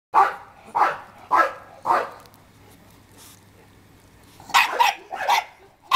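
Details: Bernese Mountain Dog puppy, female, photographed at 44 days old, born July 12; a run of short high yapping barks about every half second, a pause, then another quick burst of several yaps.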